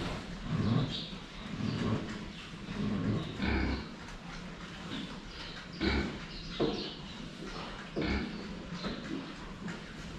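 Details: Low, rough pig grunts come in uneven bursts while the animals drink water, filmed head-on, mixed with metallic clinks and sloshing.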